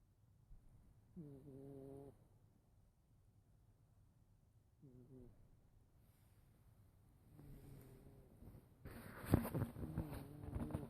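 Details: Sleeping house cat snoring loudly; a series of separate droning, nasal snore breaths several seconds apart, growing rougher and louder near the end with a brief sharp noise.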